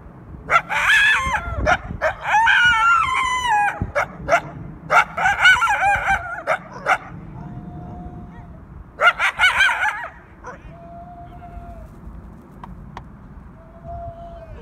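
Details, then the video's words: Two coyotes give harsh, wavering barks and yelps in distress at a dog, recorded 1 October 2018. "Two Coyotes Bark Distressingly at a Dog, Video by Pete Dardis"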